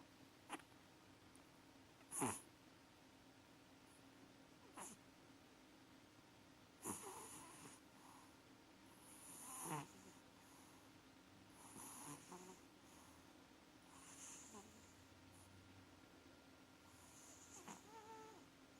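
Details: Maxi the house cat snoring while asleep and dreaming indoors; irregular raspy snorts and wheezy breaths, several sharp bursts early on, then softer snores spaced a few seconds apart over a low background hum.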